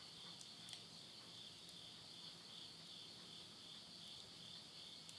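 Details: Midnight voices of insects in Yurihama, Tottori, Japan, at summer's end in September 2020: an even, shrill, sustained trill on two high pitches, with faint soft ticks of a wood fire burning in a stove.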